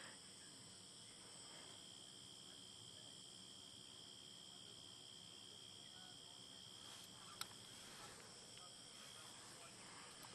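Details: Cicadas call on a peaceful evening in a steady, unbroken, high shrill drone with several even tones held throughout. Faint background hiss and one sharp click near the middle.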